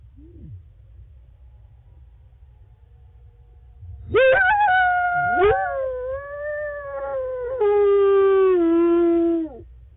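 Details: At night at the Wolf Conservation Center in South Salem, New York, wolves Lava and Tyke: a faint brief note, then a howl that swoops up into a held tone, joined by a second voice that slides gradually downward before stopping.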